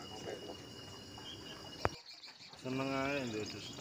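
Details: Unusual goat kept in a collector's pen gives a short wavering bleat, about one second long with trembling harmonics, after a sharp click and a stretch of man's talk and rustling.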